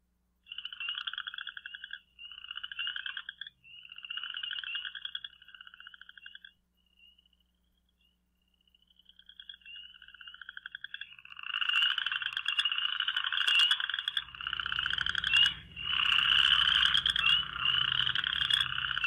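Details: Western chorus frogs at a backyard breeding pond in Michigan on the first day of spring, with rain forecast, give short ascending trills of rapid clicks lasting one to two seconds, like a fingernail run along a fine-tooth comb.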